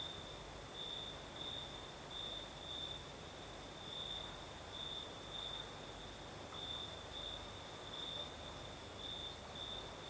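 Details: Singing crickets on a Crimean southern night with a gentle night breeze; high-pitched chirps come in regular brief bursts, layered over an even high hiss and soft broadband wind.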